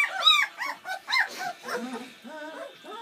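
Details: Seven Bernese Mountain Dog puppies born Valentine's Day 2013 at their first feed on Mothering Sunday: a few loud, piercing squeaky yelps, then lower, shorter whines trailing off.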